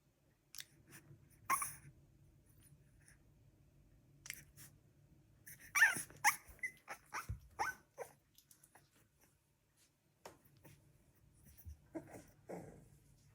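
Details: Three-week-old Staffordshire bull terrier puppy named Bullseye, growing more confident: quiet scattered sneeze-like bursts and short soft squeaks, clustered around the middle and again near the end, over a faint low steady hum.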